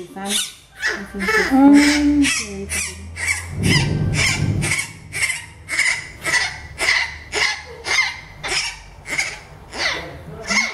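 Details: Milette, an orphaned baby howler monkey at a rehabilitation center, objects to veterinary care. She gives rhythmic, squeaky cries about twice a second over people speaking Spanish indoors.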